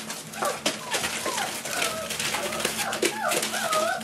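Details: Four-week-old Boerboel pups with their mother Aston, now teething and playing with other dogs; several high, wavering whines and short yelps rise and fall in overlapping bursts indoors, with rustling and faint background voices.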